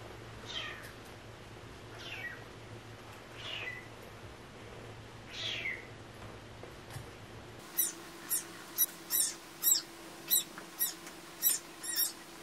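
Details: From a rescued stray cat family, four brief, high meows come roughly every one and a half seconds. A loud run of sharp, evenly repeated tapping clicks follows in the second half.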